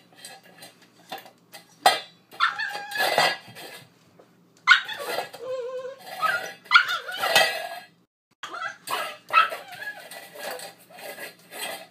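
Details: Eight-week-old husky/poodle mix puppy, female, playing with her dish: scattered high yips and wavering whiny vocal sounds between bursts of clattering dish noise, with brief quiet gaps.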